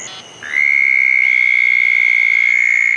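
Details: Southern toads calling around a pair of small dug ponds on a wet night after a thunderstorm, June 10, 2014; a loud, steady, high trill begins after half a second and holds unbroken to the end, over fainter high tones.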